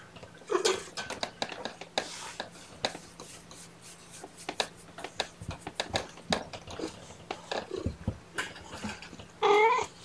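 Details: Four young kittens, all just over one pound, give short chirping trills and squeaks, likened to a little pig rooting, among soft rustling and clicking indoors.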